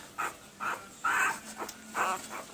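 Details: Newborn Pembroke Welsh Corgi puppies, one week old, April 2020, make soft breathy whimpers in short bursts about every half second, one brighter squeak among them, over a noisy hiss.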